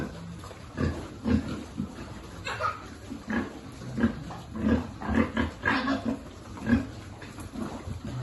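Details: Farm piglet being fed, one of a pig-farming group: a steady run of short, low, pulsed grunts, several per second in bursts, with some louder snorty grunts near the middle and faint background rustling.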